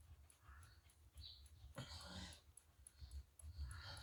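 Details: Friendly Shiba Inu Chichi, kept near the Kanehama branch school in Aomori City, Aomori, sneezes after having head and neck petted during the moult and shaking loose fur: one sharp noisy burst midway, with faint high bird chirps and low rumble behind.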